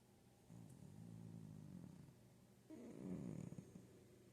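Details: Cozy domestic cat snoring: low, rough, drawn-out breaths with shifting pitch, a quieter stretch followed by a louder, more grating snore after a brief pause.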